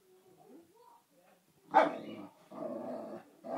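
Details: Boxer Kofi and Basenji Kiko at play: faint whining murmurs first, then one sharp, loud bark followed by a sustained rough growl and another burst at the end.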